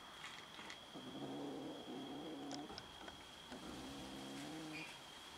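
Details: Domestic cats fighting over food, giving low, droning growls in two long stretches of about two seconds each, slightly wavering in pitch, with a faint high-pitched meow near the end and a steady high whine behind.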